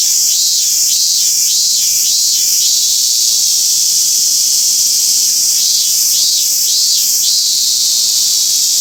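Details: Singing robust cicada at Toyanogata Park, Japan: high buzzy drone with a run of pulsed notes, a break of about two seconds, then another series of regular pulses.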